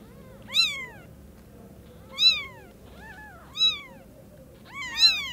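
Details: Four loud, clear mews from newborn kittens greeting the mother cat for the first time, each piercing and bent upward then down, spaced about a second and a half apart, with a low hum in the background.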